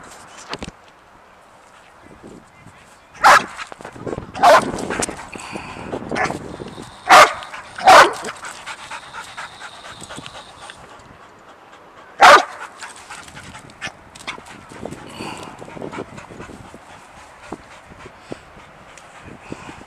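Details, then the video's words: Excited and jumpy at an unseen squirrel, Sadie the dog barks in sharp bursts: a cluster of loud barks, then a pause and a single later bark, with softer whines and background murmuring between. "Sadie Gets Excited and Jumpy for an Unseen Squirrel"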